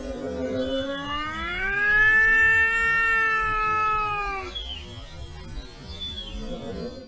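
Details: European wildcat in mating season giving one long drawn-out meow, rising in pitch then holding and gently falling for about four seconds, with a faint shorter call afterwards over steady low background noise.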